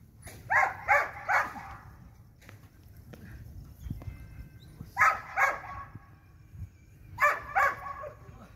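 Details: Belgian Malinois during light training, barking in quick bursts of three sharp barks, the groups separated by several seconds of quieter background with soft voices.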